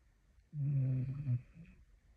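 A Staffordshire Bull Terrier snores with a deep, rumbling, buzzy drone.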